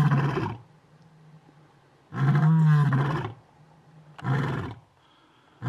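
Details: Lion (Panthera leo) at Doornhoek Dam, Mountain Zebra National Park, South Africa, gives deep, rough roaring grunts in three separate bursts, with a low steady hum between.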